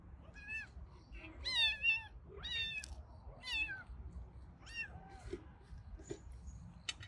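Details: Family of four orange cats with kittens, indoors; a series of about seven bright, harmonic meows, some rising then falling and some short and clipped, repeated roughly every second over a low background hum.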